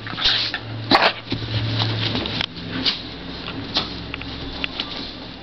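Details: Shiba inu Kitsu playing indoors with Buckley, a beagle mix; a low rumbling growl lasts about two seconds, followed by scattered short grunts, snorts and scuffling thumps in a small room.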